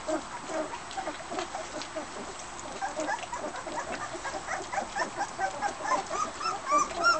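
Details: Border Collie pups feeding alongside their mother Fearne; scattered faint whimpers build toward clearer high whines near the end, amid shuffling and eating noises.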